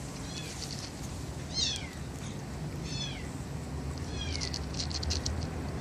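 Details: Stray kittens, a litter of four siblings born to a young white mother cat in a residential area by a bus terminus. Thin, high mews slide downward, about four spaced across six seconds, over a steady low background rumble.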